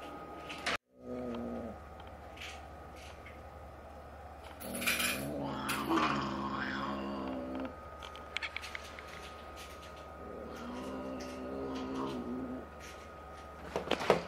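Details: Resident five-to-six-month-old brown tabby cat El meeting two-month-old black kitten Jill, indoors during a fight; low harmonic growls rise and fall in stretches, with scuffling thumps and clatter between them.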